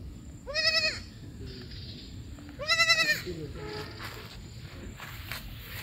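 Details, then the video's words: A baby goat calls with two loud, quavering, harmonic-rich bleats about two seconds apart, each under half a second, followed by fainter bleating over steady low background noise. "Baby goat Calling sounds"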